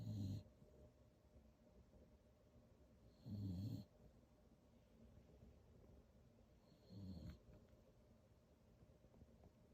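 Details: Sleeping beagle snoring, three low, rough rasping snores about three and a half seconds apart, each lasting under half a second, with quiet breathing between.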